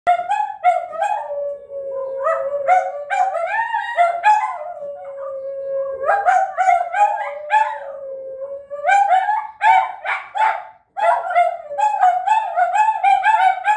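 Several Italian greyhounds howl in chorus, their voices sliding up and down in long wavering notes. Near the end the howls break into shorter, choppier yelps before resuming.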